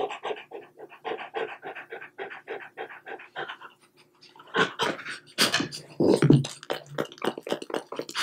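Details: French Bulldog eating string cheese, steady fast panting for the first few seconds, then a pause followed by louder wet chewing and smacking mixed with renewed breathy panting.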